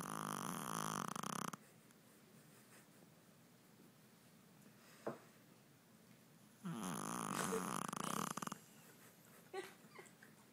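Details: Small 5 lb Shih Tzu asleep after a long day without naps, snoring heavily: two loud, harsh, rattling snores about five seconds apart, each lasting one to two seconds, near silence between them.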